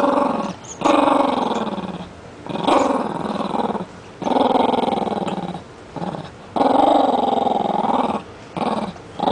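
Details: Playful growling from a pet Rat Terrier with a new toy, which it always does while playing: five rumbling, harmonic growl bursts of one to one and a half seconds, separated by short pauses, in a small room.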